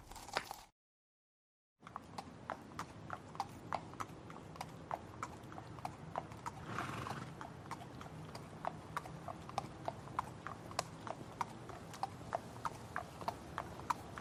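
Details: Horse hooves clopping steadily at a walking pace, with a brief breathy whinny rising midway through the sequence over a low background rumble.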